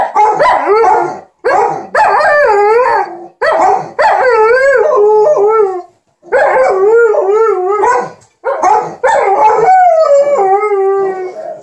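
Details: While their owner irons, Alaskan Malamute Liza and Golden Retriever TJ chatter at her in loud repeated phrases of wavering, yodelling howls, each roughly a second or two long, with rhythmic pitch bends and short gaps between.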